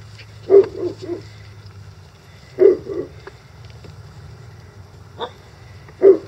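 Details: Month-old Icelandic Sheepdog puppies playing in a yard at 6 a.m.: short, mid-pitched yapping barks in pairs and triplets, bursts about every two seconds with a lone faint yip between, over low steady background hum.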